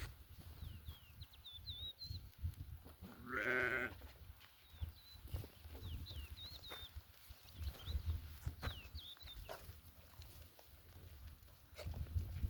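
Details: Mother goat among her kids gives a single strong, wavering bleat early on, while small birds keep up a busy high chirping and twittering throughout against a low background rumble.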